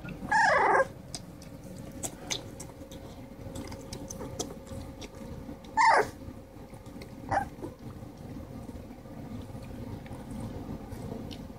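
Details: Three-week-old Blue Nose Pit Bull puppies from Subi's litter of 13 feed and fight in Charlotte, North Carolina, one male pup growling; three short harsh squealing bursts come near the start, around six seconds and seven seconds, over steady low rustling.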